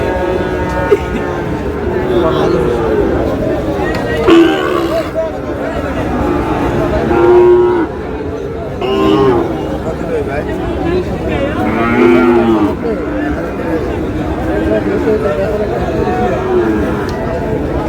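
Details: Sahiwal bull calves at a livestock market in Chittagong, Bangladesh, on 24 July; several low, drawn-out moos rise at intervals over constant crowd chatter and men bargaining.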